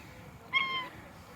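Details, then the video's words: Stray red cat walking in a tropical park on a sunny January 2023 day gives a single clear, tonal meow lasting under half a second, slightly falling at the end, against quiet outdoor background. "Red cat meowing walking"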